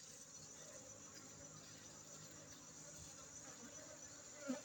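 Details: Honey bees at a honey bee centre in Aceh: a steady low humming drone with faint harmonic bands, under a constant high-pitched insect trill and a soft background hiss, with one brief louder sound near the end.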